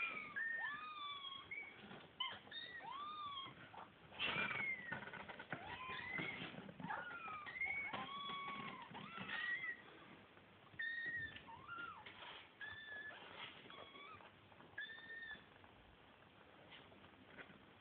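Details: Kittens waiting to be fed call constantly, many overlapping arched meows and higher squeaky mews repeating several times a second, with a brief loud rustle midway.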